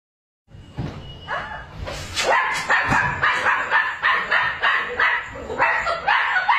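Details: Puppy guarding and protecting its owner, a guard dog in training, giving a rapid run of high, yappy barks and yips after a short silence, roughly three to four per second, growing louder and more insistent.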